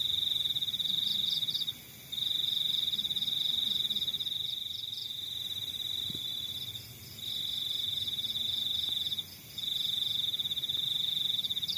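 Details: Crickets in the countryside, a high, steady pulsed trill running in long bouts broken by brief pauses, with a fainter, softer chirping pulse just above it and a low, quiet rural background hum.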